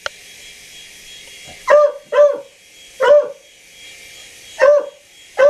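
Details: House dog barking at a helicopter, a run of five abrupt, loud barks, two close together, then others at uneven gaps of about one to one and a half seconds, over constant hiss.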